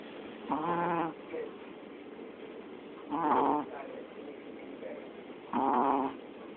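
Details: A pet dog snoring: three drawn-out, buzzy, tonal snores, each lasting about half a second and recurring roughly every two and a half seconds, with quiet breathing between them in a still indoor setting.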